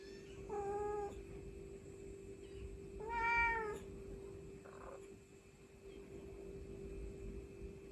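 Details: Mother cat summoning her kittens in an on-site recording: two quieter meows, the second louder and slightly longer, separated by a few seconds of near silence over a continuous low hum.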